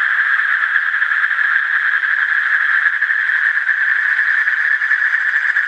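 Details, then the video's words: Asian common toad giving a continuous, steady trill, a fast pulsed buzz held at one pitch for the whole stretch with no pauses, and no other clear sounds. "Asian Common Toad"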